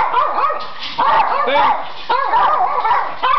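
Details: Pet Schipperkes singing on request after being urged on, wavering howls in bursts about once a second, with a person's voice faintly in the background.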